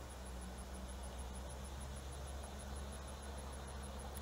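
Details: Steady low rumbling hum with broad hiss and a faint regular high-pitched ticking, no animal voice.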